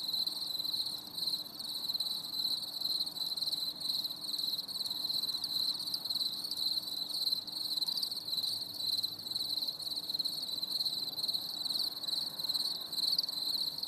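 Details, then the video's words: Crickets in chorus during a stormy summer evening, unbroken high pulsed chirping lasting the whole stretch, slightly uneven in loudness, with a faint steady low hum behind. "CHANT GRILLONS"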